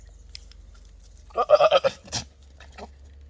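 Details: Goats making monkey-like noises: one short, harsh, pulsed bleat of about five rapid stuttering beats, lasting under a second, with a faint click and a brief second sound afterward against a quiet background.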